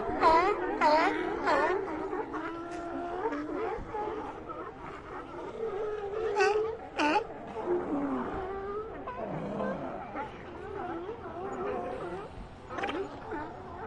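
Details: Sea lion colony: many overlapping wailing, moaning calls with rising and falling harmonic tones, several animals calling at once, with sharper barks near the start and middle.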